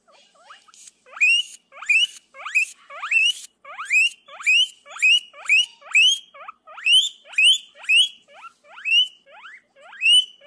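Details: Guinea pig screaming: a loud series of high, rising squeals that hook upward, repeated about every half second to second in a steady run, with no other sounds.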